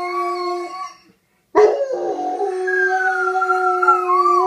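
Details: Male dogs howling as mating calls on the second day of a female's heat, an old dog teaching a young one; two overlapping steady, tonal howls after a brief pause, one voice sliding slowly downward.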